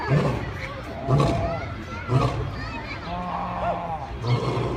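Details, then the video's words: Lion making deep, short grunting roars about once a second, with a softer, higher wavering tone between the grunts and a steady low rumble behind. "Lion Roar"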